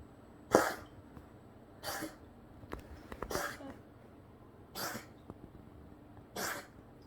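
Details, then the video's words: A cat sputters after choking on water it drank too fast, giving five short, sharp sneeze-like bursts spaced one to two seconds apart, with a quiet room in between. "고양이 하루종일 재채기하고 고롱대는 영상"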